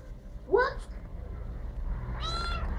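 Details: Domestic cat meowing back and forth with its owner in a kitchen while the owner makes coffee; one short rising meow near the start, then a person's voice calling, over a low steady indoor hum.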